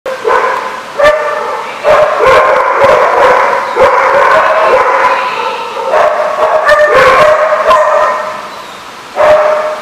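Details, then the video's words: Many dogs at a boarding kennel barking together, overlapping yips and barks in continuous bursts with brief pauses, a dense chorus filling the space. "The Barking Lot"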